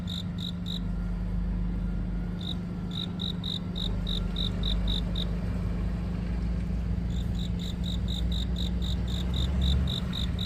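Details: A cricket chirps on a deepening autumn night, giving short, clear, high, evenly spaced pulses about three times a second with brief pauses between runs; a steady low hum like distant traffic runs underneath. Speakers wonder if it is a katydid.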